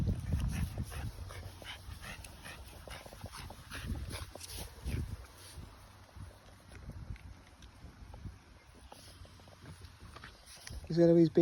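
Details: Playing French Bulldog making low grunts and snuffles early on, then quieter scuffling, ending with a short high whining whimper in the last second.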